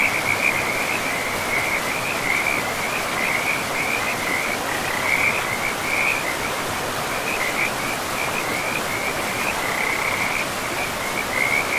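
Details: Chorus of frogs at a forest river, a continuous high pulsing trill with slight waverings in pitch, carried over the loud, even hiss of running water.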